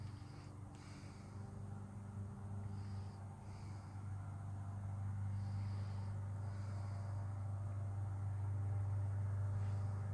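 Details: Thirteen-year-old cat purring contentedly while grooming herself: a continuous deep rhythmic rumble, rising slightly in loudness toward the end, with soft breathy noise on top.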